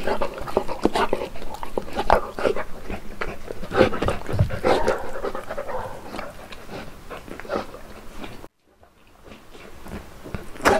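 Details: Uno, a one-year-old Saint Bernard, on his first birthday, panting in rapid, irregular bursts with scattered short vocal sounds and some nearby voices; the sound drops briefly to near silence before resuming.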